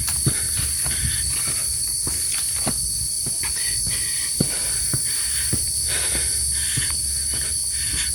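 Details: Crickets along a quiet new hiking trail up Mount Penanggungan via Sumber Lumpang, Trawas, Mojokerto, through forest. A steady, shrill, continuous drone holds at two high pitches, with repeated crunching footsteps and light rustling.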